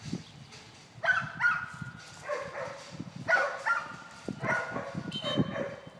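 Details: Eight-month-old golden retriever Cannyn during short single marks retrieve training, giving short harmonic barks in uneven bursts, some with a steady whining tone drawn between them, over low background rumble.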